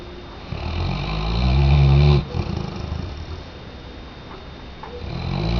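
A Weimaraner snores with a deep, rumbling, low-pitched breath that swells and then fades.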